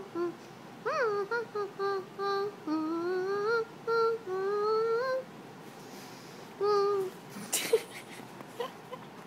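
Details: Apollo, a dog, in a small room giving rising, sing-song whines and short yips, with a brief clatter near the end.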